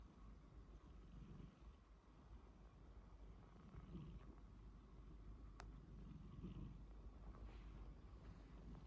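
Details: Sleeping pet cat snoring: soft, low rumbling breaths that swell roughly every two and a half seconds over a steady hum, with one faint click midway.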